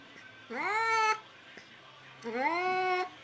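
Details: Two plaintive meows from a frightened cat come about two seconds apart. Each slides upward and sustains a bright, harmonic-rich tone for over half a second against a quiet low hum.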